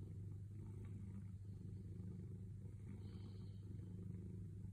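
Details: Sailo the cat purring contentedly while patiently waiting for petting: a steady, low rumbling drone with a rapid, even pulse that holds throughout, with faint soft rustles above it.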